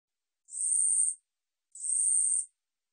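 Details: Katydid known in Korea as 우리여치, recorded 2020 for the National Institute of Biological Resources: a pair of high, hissing buzzes around 0.7 seconds each, evenly spaced with a one-second gap, in a quiet background.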